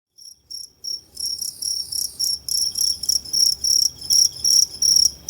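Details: Two-spotted crickets at Tama Zoological Park, Japan, on 29 September 2015, producing two different types of calls; a few sparse chirps, then steady high, pure trilled chirps repeated about three times a second.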